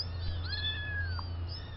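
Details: Farm kitten from Spanky's litter, a few weeks old at the fluffball stage, gives one drawn-out meow that slides slightly downward and ends in a short drop. A steady low hum runs underneath.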